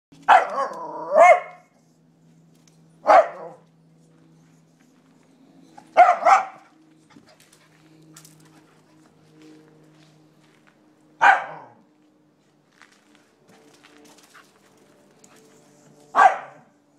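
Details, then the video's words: Scottish Terrier, 10 months old, barking up a tree at squirrels: sharp, loud barks, some doubled, coming in bursts separated by several seconds of quiet, with a faint steady low hum in the background. "Scottish Terrier barks up tree"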